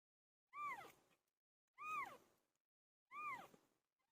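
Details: Pilo, a pet cat, calling while giving birth: three loud, clear meows, each rising then falling in a smooth arc, spaced about every 1.3 seconds with silence between.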